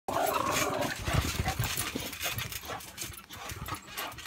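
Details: Boxer dogs in a rough play match, grunting and growling in short throaty bursts over scuffling paws and thumps, with a voice briefly audible.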